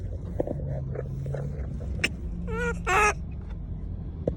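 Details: Monkey calling out to people: around the middle, a short burst of harmonic, wavering cries, one rising and falling and another a tight quick stutter. Constant low engine rumble and scattered knocks underneath.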